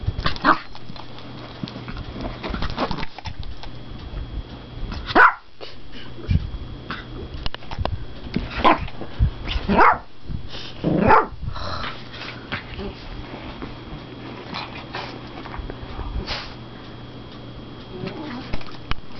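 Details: Yorkshire Terriers at 3am letting out a few short, sharp barks spaced several seconds apart, around the middle of the stretch, with quieter rustling and snuffling in a small indoor room between them.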